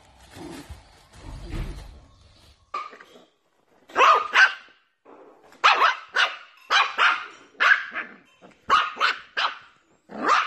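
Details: Dachshund barking in a playful pet compilation: sharp, repeated barks in uneven bursts, a few low growly sounds at the start, then clusters of two or three yaps with short pauses between.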